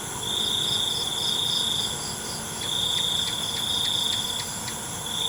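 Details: Night crickets trilling: a bright, high buzzing trill that runs for about two seconds, breaks, then resumes, with a sparse ticking of quicker pulsed chirps above it and a steady high-pitched insect background.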